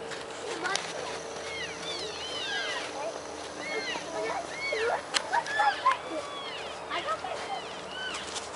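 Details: At the Oak Creek elk feeding station in Washington, wintering elk keep up dense chatter of short arched chirps and squeaky mews from many animals, with a few louder calls near the end over soft outdoor noise.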